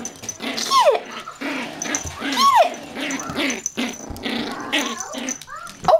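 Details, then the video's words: Yorkshire Terrier puppies from a Michigan breeder playing tug of war over a toy indoors: low rumbling growls with sharp, arching yelps near one and two and a half seconds and a short squeak at the end, a woman's cheering voice between. "Adorable Yorkie Puppies at play"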